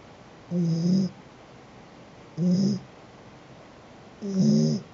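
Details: Domestic cat snoring at rest: three low, throaty, rattling snores about two seconds apart, each lasting roughly half a second and carrying a faint hissy edge, over quiet indoor background.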